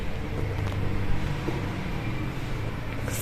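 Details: Loud, steady low engine and traffic rumble fills the recording, with no animal voice.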